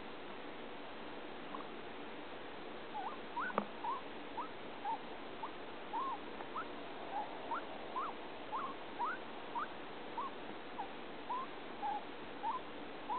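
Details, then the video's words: Male guinea pig gives short, rising squeaks, roughly two every second, over a steady background hiss while eating; owner is unsure what the unusual sounds, made day and night for days, mean despite a male cage mate. "my guinea pig making strange sounds"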